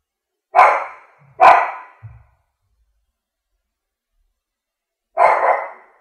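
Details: Loud barks from a French bulldog, two close together, then a short low grunt-like sound and a long pause before a final drawn-out bark; nothing else audible.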